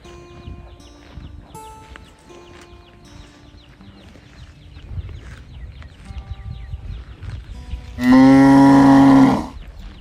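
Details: Calf mooing as it searches for its mother: after eight seconds of quiet barn background with faint scattered calls and chirps, one loud, drawn-out, steady moo lasting just over a second.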